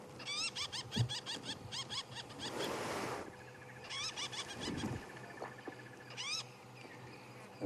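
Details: A squirrel on an African safari drive gives alarm calls, scolding in bursts of sharp, rising chirps, rapid at first, then shorter volleys, over a breathy rush and low rumble.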